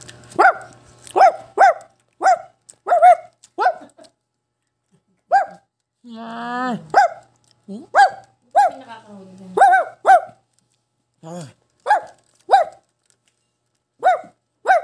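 A Shih Tzu gives sharp, high-pitched barks in quick, uneven bursts.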